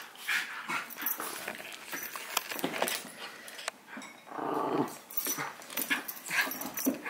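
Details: Play-fighting between two dogs, a six-month-old Havanese puppy called Howie and Remy, a miniature schnauzer, recorded on a Sony a6000: sustained throaty growls swell midway amid quick yips and scuffles.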